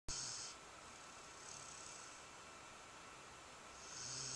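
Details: A sleeping nine-month-old dog snores indoors. Breathy, hissing snore bursts come at about 0 to 0.5, 1.5 and 4 seconds, each with a faint low rumble under a high airy rasp, and a steady faint hum sits behind them.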